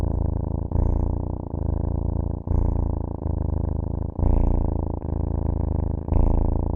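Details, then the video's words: A cat purrs continuously, its deep vibrating rumble pulsing in breath-length cycles of about one to one and a half seconds, without background noise. "cat purr"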